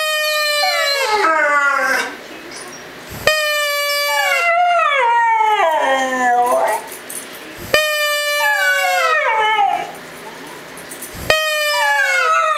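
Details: A one-year-old Siberian Husky and a German Shepherd howl back at a whistle in a competing chorus: long, sliding howls that start high and fall, overlapping voices in bouts of about three seconds separated by short pauses.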